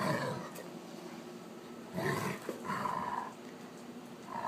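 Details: During rough play at night, the wolf hybrid Sakima and a female Alaskan Malamute, caught on iPhone: drawn-out rumbling growls and moaning, roar-like vocalisations come in several bursts, some with a whining, tonal edge.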